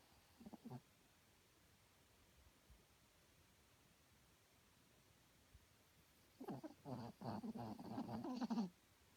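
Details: Herbie, a small pet dog, snoring loudly while asleep indoors at night: after a long quiet stretch, a cluster of rough, throaty snorts with a faint tonal whistle comes in quick succession.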